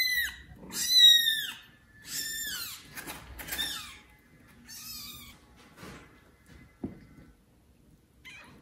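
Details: Loudly meowing kitten, one of mother cat Judy's four, calling for its neglectful mother before another cat takes it; several shrill, falling meows in the first seconds, then softer, scattered cries and faint rustling.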